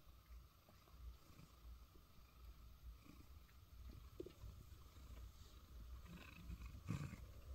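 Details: A cat purring while curled in a basket inside a soundproof booth: a steady, low rumbling throb, faint and close, with a few soft clicks and rustles near the end.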